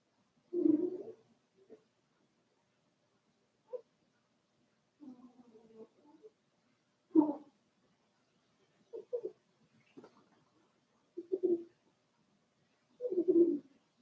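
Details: Four-week-old Cavalier King Charles Spaniel puppies from Daisy's litter in their puppy pen give short low whimpers and grunting squeaks, scattered singly and in brief clusters across a quiet room with long pauses between.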